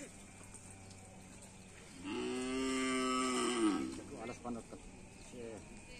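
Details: Cattle at a karapan sapi bull race training session on a field in Asemanis: one long, steady, nasal moo of about two seconds with rich harmonics, ending in a short dip, followed by fainter rustling and low background noise.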